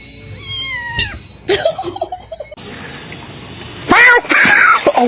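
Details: Domestic cat gives a drawn-out meow that bends downward over about a second, followed by abrupt cuts to other noisy segments with voices, music and clattering.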